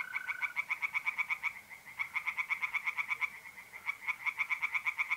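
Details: Tree frogs in a north-east Italian pond at night, mid-April: loud, quick, evenly pulsed croaking in three bursts of one to two seconds each, with a brief steady mole cricket trill at the start.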